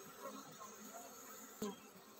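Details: Honey bee colony preparing to swarm: a low, steady droning hum with faint higher overtones, broken once by a short sharp click near the end.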